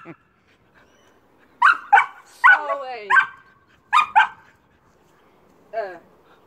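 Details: Barking from Amy, an Old English Sheepdog, while jumping: quick paired barks, a strained yelping bark that slides downward, another close pair, then a lone softer, falling yip after a pause.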